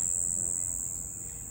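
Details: A cricket at night gives a steady, very high-pitched trill that runs on without a break.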